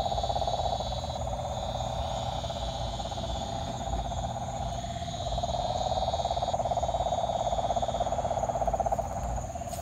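A steady, low-pitched trilling drone of calling frogs that swells slightly louder midway through.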